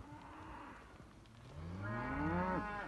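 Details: Simmental calf with a faint, low murmur at first, then a louder moo that rises and swells in the second half before breaking off abruptly, over a noisy outdoor background.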